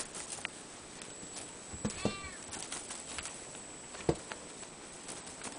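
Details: Indoor Ragdoll cat, one of sibling cats, lets out one brief clear meow midway, framed by soft thumps and knocks against a steady low room hiss.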